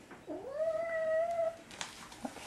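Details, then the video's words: Pet cat reacting badly to catnip indoors: a single long drawn-out wail that rises then holds steady for over a second, with a person murmuring soothing words and small handling noises afterwards. "Starry Hates Catnip!"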